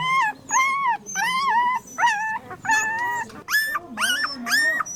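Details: On a farm, a puppy whimpers in a steady series of about eight short, nasal, slightly rising whines. They come roughly every half second, with quiet breaks between them and a soft low rumble behind.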